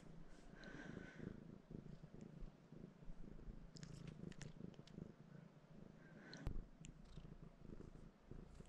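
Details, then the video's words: Pet cat perched on its owner, purring and seeking pets; a continuous deep, throbbing purr with brief soft scratching and a sharp tap near the end. "Your cat is sitting on you, purring & wanting pets"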